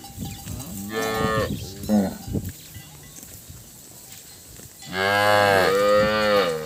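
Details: Calves crying after losing their mothers: a wavering bawl and short grunts, then a long loud rich moo rising in strength near the end.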